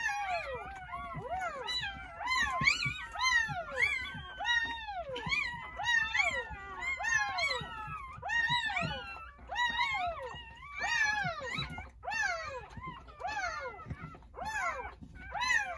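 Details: Jindo puppies just born on New Year's Day at a rural home, one of nine in a litter delivered between 8:30 morning and 1 o'clock, whine in a dense chorus of rapid, rising-then-falling squeals, nearly continuous and overlapping.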